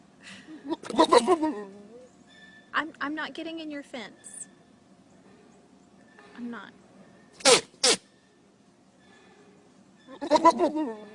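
Goats give loud, wavering, human-like bleats, with a couple of sharp snorting bursts between them.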